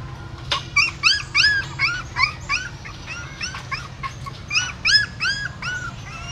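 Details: Mother dog moving newborn puppies in her mouth away from a pagoda stupa in Siem Reap; rapid series of high, arched, squealing whimpers, about three a second, in bursts over a constant low background drone.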